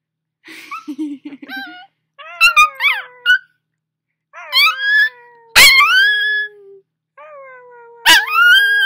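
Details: A puppy howling along to a person singing indoors near a fireplace, sounding squeaky after waking: wavering high wails with upward bends, repeated several times, over a steady lower sung tone.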